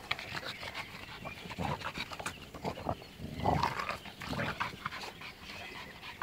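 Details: Outdoors, a dog from an American Bulldog, French Bulldog and Bull Terrier comparison gives repeated harsh, noisy snorts and heavy panting, irregular puffs every half second or so, louder near the middle, over steady background noise.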